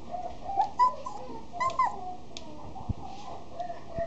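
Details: Female Miniature Dachshund giving thin, high whines and short yips in scattered bursts, several in quick succession near the start and more spaced out toward the end, with a quiet background.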